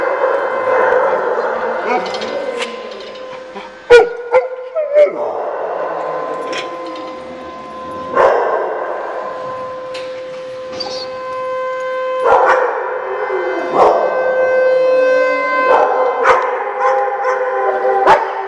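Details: Dogs at Central Bark Doggy Day Care in Oswego, Illinois, on January 3, 2012, reacting to a siren test: several overlapping sustained, steady-pitched howls layered together, broken by sharp bark bursts, with voices mixed in.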